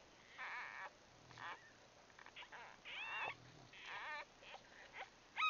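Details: Day-old Bulldog puppies huddled together in their nest, grunting and grumbling with short wavering squeals and whimpers that come in bursts every second or so, with soft low hum between.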